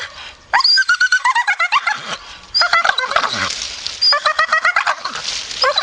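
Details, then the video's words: A grumpy Staffordshire Bull Terrier mutters in choppy, stuttering grumbles, three main bursts of fast pulsing moans with a breathy, noisy edge between them. "Funny Grumpy Staffy"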